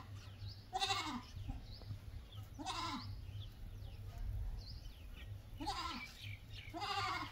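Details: A goat gives four quavering, nasal bleats at roughly two-second intervals, each wobbling in pitch, with a constant low hum and light bird chirps behind.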